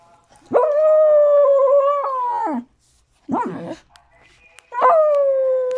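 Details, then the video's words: A dog whining for a tamal gives a drawn-out howl of about two seconds that drops off at the end, then a short wavering yelp, then a third howl that begins high and settles lower. "Perro llorando por un tamal"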